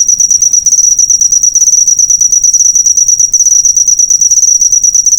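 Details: A cricket's chirp serving as a tutor recording for caged songbirds, a high thin trill of fast clicking pulses at a constant pitch, pulsing about three times a second, with a brief dip near the middle.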